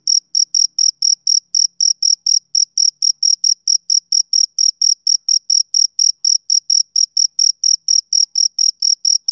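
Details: A male cricket sings on a summer evening, a rapid even train of piercing high chirps, around four each second, with no other sounds present.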